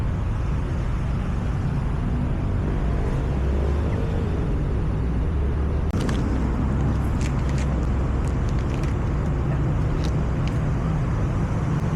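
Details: Steady rumbling road traffic and passing vehicles fill the recording, with no animal calls audible. A few faint clicks and knocks stand out briefly against the traffic noise.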